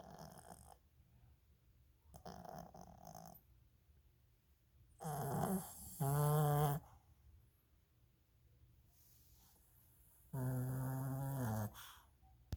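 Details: A sleeping 9-year-old Lhasa Apso, who rarely snores, snores in rough, nasal rumbles, each lasting about a second.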